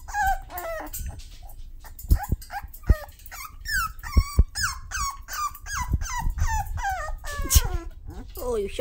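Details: Six-week-old Toy Poodle puppies, described as mad and sassy, giving rapid high whining yelps that slide downward, overlapping one another, with thumps, a woman's cooing voice and background music.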